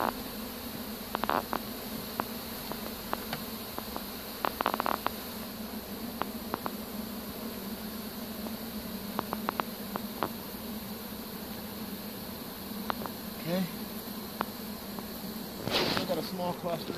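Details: Honey bee swarm captured with a pole bucket on 3-25-2015: a dense, steady, low droning buzz holds throughout, broken by scattered sharp clicks and knocks from the handling gear.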